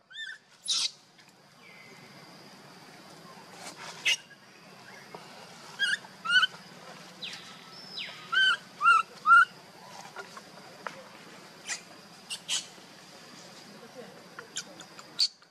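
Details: Young monkey Luno calls for father Tum to pick him up, while sister Lucie comes to comfort him: thin, high, rising squeals in short bursts, clustered between six and ten seconds, with scattered clicks and rustles.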